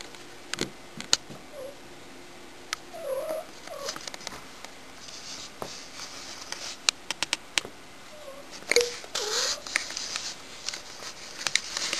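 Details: Shy the cat, being a nuisance, gives a cluster of short, wobbling meows, then another brief meow several seconds later, over frequent clicks, knocks and rustling.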